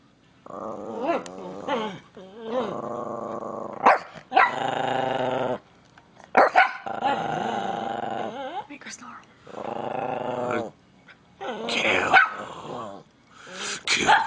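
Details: Angry Miniature Pinscher growling in long, buzzy rumbles that last a second or more, broken by short yapping barks, while a person speaks over the noise.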